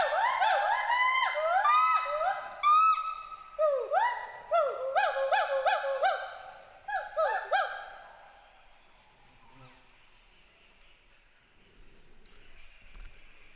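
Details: Western hoolock gibbons, a pair playing among forest trees in Hollongapar Gibbon Sanctuary, Assam, call in a quick run of arching whoops for about eight seconds before the calling fades into quiet forest background.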